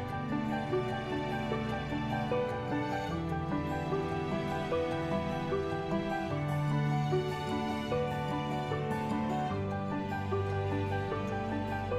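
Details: Soft, steady background music plays throughout, with no animal voice to be heard.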